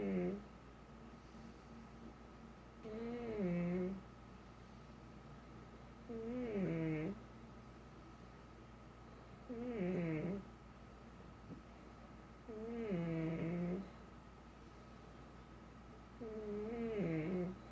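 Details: Snickers the pet pug snoring steadily indoors, six wheezy, whistling snores roughly every three to four seconds, each with a wavering falling tone, faint room hum between them.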